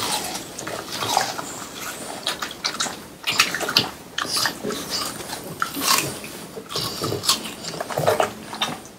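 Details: French Bulldogs, three of them, munching watermelon near summer's end: a steady run of moist crunches, lip smacks and slurps, some louder bites standing out, recorded close in a small room.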